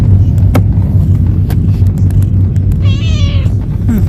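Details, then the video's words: On its first journey, a chatty pet cat travelling out for sightseeing utters a single clear, slightly falling meow near the end, with steady low engine drone and faint clicks throughout. "Talkative cat travel for the first time."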